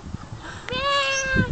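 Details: Young lamb bleating, a short low murmur and then a long, steady, tonal cry with strong harmonics held for most of a second, over faint background sounds.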